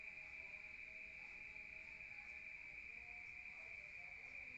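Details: Rural night crickets recorded from indoors, their sound coming in from outside: one continuous shrill buzzing trill with no pauses, over soft, low, scattered tonal murmurs.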